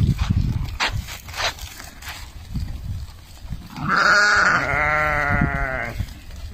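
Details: Meatmaster sheep in a flock, one loud harmonic bleat held about two seconds, wavering and slightly falling, preceded by scattered handling noises and faint background sounds.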